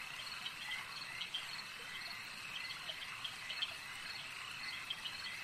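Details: Frogs calling at a lake during a long nature recording: a dense, steady chorus of high trilling notes with sharp clicking calls popping out every fraction of a second, many callers overlapping and no other clear sounds.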